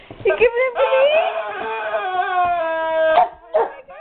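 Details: Guard dog whining over a squeaky toy it doesn't know what to make of: short yelping notes open into one long, steady, slightly wavering whine lasting over two seconds, followed by brief higher whimpers at the end.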